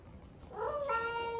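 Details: Ame-chan, an 11-month-old rescued female cat at the peak of her first heat, calls indoors: after a quiet start, a drawn-out tonal yowl swells up and holds steady and level to the end, in a quiet room.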